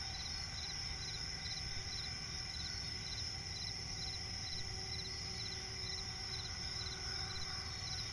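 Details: Crickets chirping at night in a swamp forest: a steady high trill overlaid with rapid, evenly pulsed chirps, over a constant low rumble of background noise.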